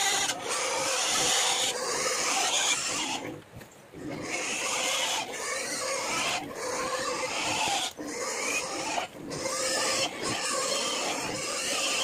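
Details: Native pigs, including a sow, being fed in a small backyard pig farm: loud, rasping squeals and grunts in long noisy bursts broken by short pauses, with clattering and occasional human speech.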